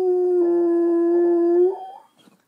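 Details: Pet dog Myles howls in a room in response to playback of his own earlier howl, a loud flat sustained tone rising slightly at the end before breaking off into quiet whimpering noises.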